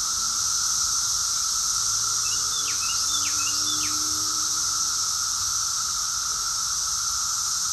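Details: Cicada chorus in summer, recorded in Rockville, Maryland, USA, June 2021: a dense, steady high hiss over a lower continuous droning tone, with a few short downslurred bird chirps near the middle.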